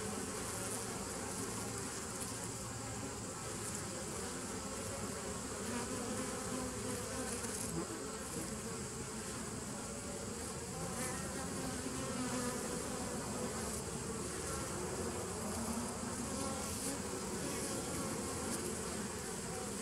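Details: Bees on 27 September 2018 produce a long, unbroken droning hum, low banded tones under a wide hiss, with small swells in loudness but no gaps.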